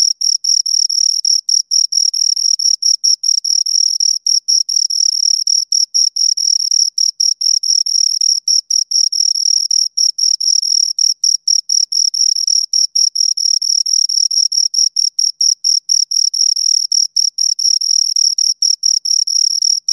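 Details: Pair of crickets stridulating: a dense, nearly continuous high-pitched chirping with very short gaps between pulses, steady and rhythmic throughout, nothing else audible.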